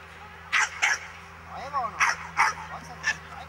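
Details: Miniature English Bull Terrier barking during a defence training lesson: five sharp, harsh barks in quick pairs and singles, each loud and brief, over a steady low hum and faint background speech.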